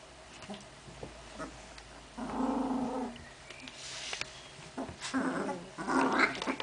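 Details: Genny's puppies, filmed indoors on 14 June 2013, give short high whines and soft yelps in scattered bursts, with a louder squealing cry near the end over a low background hum.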